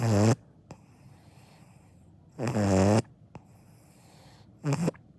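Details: Sleeping Akita puppy Dango gives three loud, throaty snores with a gravelly vibrating tone, the middle one longest, separated by quiet pauses of soft breathing.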